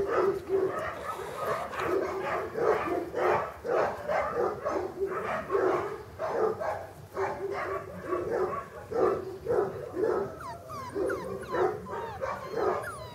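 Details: A litter of English Cocker Spaniel puppies, born August 2011 at a kennel, whimpering and yipping together in a dense chorus of overlapping squeals, with a few higher thin squeaks near the end.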